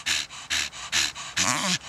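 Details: Panting from Donut, an old female Staffordshire Bull Terrier cross, while she chews a tree stump: four strong hissing breaths at an even pace, the last carrying a brief voiced, wavering snort.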